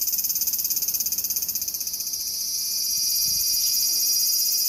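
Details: Singing cicada opens with quick rhythmic pulses, about four each second, which then merge into a steady, loud, high-pitched continuous buzz.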